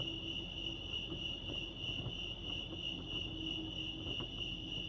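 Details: Lake Arrowhead crickets in California keep up a constant high, rapidly pulsed chirping, evenly sustained from start to end, over a muted low background rumble.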